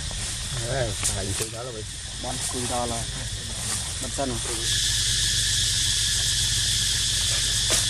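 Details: Cicada drone beginning about halfway through as a steady, loud, hissing buzz high in pitch. Before it starts, a baby monkey gives a series of short, rising-and-falling squeaky calls over a low hum.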